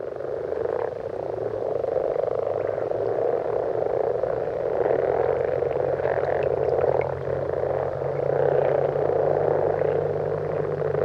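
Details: A dense night-time chorus of common frogs in a wetland in central France in winter, a steady mass of soft, low purring croaks over a faint hum.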